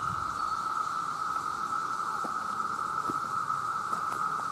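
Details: Millions of male cicadas crying out to attract mates, an intensely loud, steady high whine without pause, with a faint airy hiss above and a few soft ticks.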